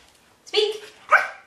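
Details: A female German Shepherd being trained with treats to "speak" on command gives one short, tonal bark, followed by a person's brief praise.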